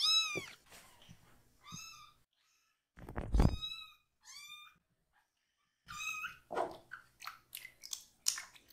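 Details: Young rescued kitten crying during a bottom wash at a foster home; several arched meows, fainter mid-clip, mixed with low thuds, rustling and splashing handling noises.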